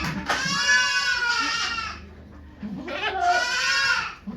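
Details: A goat called Okayu in labour at Yoshigake Farm, Japan, 3 May 2023, with volunteers present. Two long, loud, tremulous bleats of nearly two seconds each are separated by a short pause.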